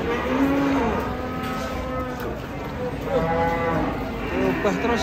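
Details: A cow among a group of unusual cattle gives a short, low moo near the start, then fainter lowing follows over background music and crowd murmur.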